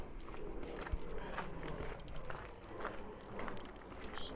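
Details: Faint jingling keys or metal tags rattle over a soft background hum, with no animal voice.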